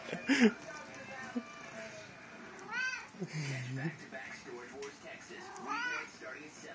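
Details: Lilac/seal point Siamese cat, one year old, performing for the camera indoors: a loud short meow at the start, then two rising-falling drawn-out meows near three and six seconds, with a woman's soft voice speaking between them.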